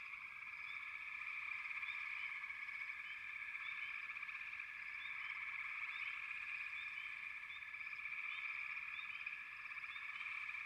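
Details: Steady, pulsing trill from a frog chorus, swelling slightly in loudness, with short rising chirps scattered above.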